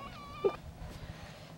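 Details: Pembroke Welsh corgi puppies playing together; one brief, high, whistled whine with a slight pitch drop, followed by a soft voice and faint rustling.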